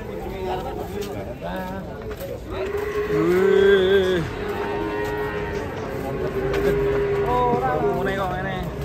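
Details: Cattle raging while being unloaded from a truck: a loud, drawn-out, slightly rising then falling moo in the middle, with shorter lowing before and after over shouting people and background noise.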